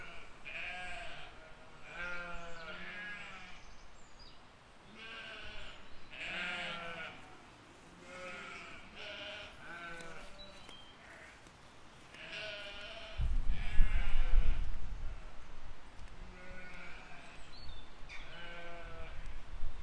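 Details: A flock of sheep with lambs grazing in a field in spring 2020 bleats repeatedly, with many wavering baas of mixed pitch. A loud low rumble, likely wind or handling, breaks in briefly midway.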